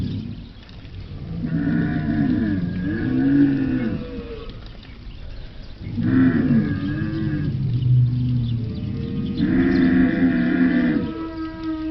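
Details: Camel roaring in three long, moaning bellows of about two seconds each, low and droning with a nasal upper tone, separated by brief pauses.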